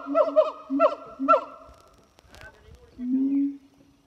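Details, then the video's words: Pair of zoo siamang gibbons singing on a hot summer morning in France: quick bursts of barking harmonic notes over a low hum, then a single deep swelling boom. "Singing Siamang Gibbons"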